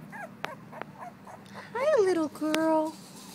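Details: A two-week-old female blue-nosed American Pit Bull Terrier puppy named Pearl makes a few faint squeaks, then a loud falling whine and a long steady high cry.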